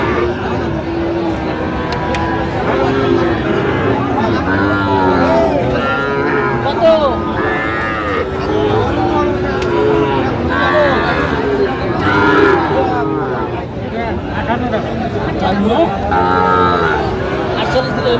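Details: Sahiwal bull calves at the Aftabganj cattle market on 16 August 2025, where Dhaka farmers buy. Overlapping low lowing moos rise and fall through a dense crowd of bargaining voices and steady market hubbub.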